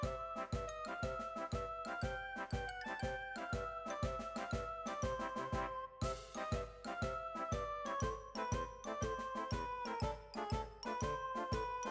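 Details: Bouncy keyboard music with a steady beat plays throughout, with no animal sound.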